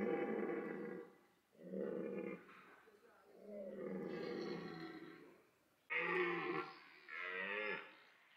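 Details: Rutting red deer at Parc Sainte-Croix in autumn, where stags chase hinds, mate and fight; long, deep, rasping bellows, several drawn-out roars with brief gaps, the last ones louder and more strained.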